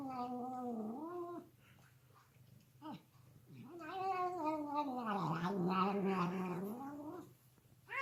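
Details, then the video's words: Pet cat making funny noises: a drawn-out, falling yowl, then after a quiet pause a long, loud, wavering caterwaul that dips and rises again, with a soft low hum underneath. "MY FUNNY CAT MAKING HILARIOUS NOISES"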